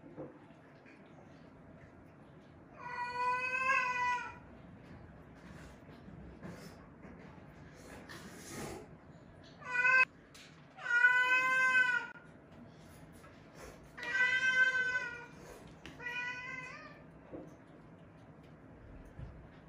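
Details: Rescued weak kittens, found clinging to each other on the return from a family funeral, meowing: about five clear, wavering mews spaced a few seconds apart, some drawn out and some clipped, in a quiet room.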